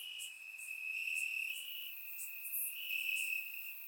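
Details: Night chorus of crickets singing in grass during a warm Bulgarian summer, surround-miked; continuous shrill ringing tone overlaid with rapid high chirp pulses, louder swells every half second or so.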